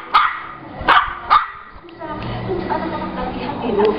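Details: Shih Tzu 'telling a story': three sharp barks in the first second and a half, then a lower, drawn-out grumbling vocalisation rising toward the end.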